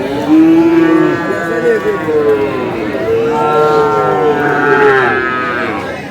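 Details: Loud bovine bellowing at a Kurigram cattle market in Bangladesh, 5 May, while a farmer bargains for a Sahiwal bull. One moo follows another almost without a break over the noise of people talking.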